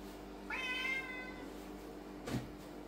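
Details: A lynx point Siamese cat gives one loud, rising meow, followed later by a brief rustle.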